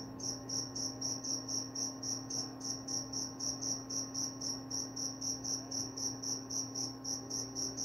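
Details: Rhythmic high-pitched cricket chirps, evenly spaced at nearly four per second, each a short buzzy trill, running without a break above a faint steady background hum.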